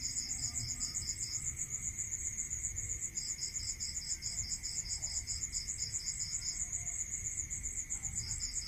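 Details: Night-time cricket chorus in the countryside, with two callers trilling in fast regular high-pitched pulses; the lower one drops out for a while and returns, backed by a constant thin tone and low background noise.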